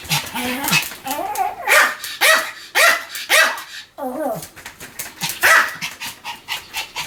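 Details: Sam, a pet Pomeranian, barking continuously: sharp, high yappy barks in rapid bursts of roughly two per second, with a brief gap near the four-second mark before the barking resumes.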